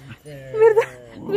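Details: Puppy from a cute dog compilation giving a short harmonic whimper that rises and breaks into a higher yelp near the end, loud and close, with faint background noise.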